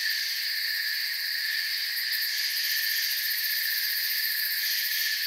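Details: Forest crickets chirp together in an even, shimmering high drone that holds the same level throughout, with faint pulsing in the highest band and nothing else clearly heard.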